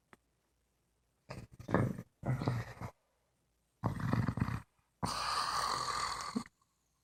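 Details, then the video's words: Female English Bulldog asleep on her back in bed, snoring: four rough, low, rasping bursts, each lasting about one to one and a half seconds, separated by brief silences, the last one longer and harsher. "English Bulldog Snoring"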